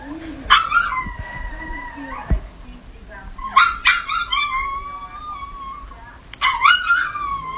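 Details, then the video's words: Chihuahua in a barking compilation: drawn-out whining howls, each starting with a sharp yelp and sliding into a long, steady, mid-pitched tone, three of them over several seconds, with faint background noise. "Chihuahua Barking Dog Bark Sounds. Little Chihuahua Barking at a Cat"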